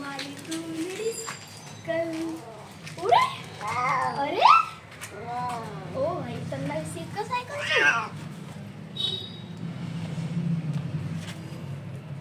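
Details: Hungry kittens of an adopted street cat mother in India meow for food; several short harmonic cries with rising and falling arcs, some sliding steeply upward, spaced irregularly over a steady low hum, with a person talking in Hindi between them.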